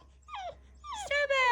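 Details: Bulldog puppy in a tantrum giving two short descending whimpers, the second rising into a sustained, strained whine, with a person speaking soothingly nearby.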